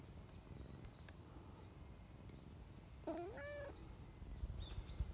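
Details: Talkative silver tabby community cat, friendly and affectionate, calling out to someone hiding behind a bench outdoors; a single clear harmonic meow, rising then leveling and drawn out for under a second, over low rumbling background noise.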